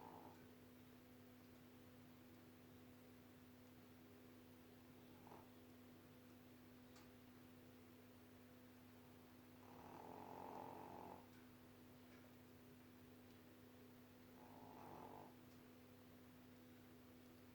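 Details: Sweetly snoring pet dog asleep: soft raspy snores return roughly every five seconds, the longest two louder, over a constant low appliance hum.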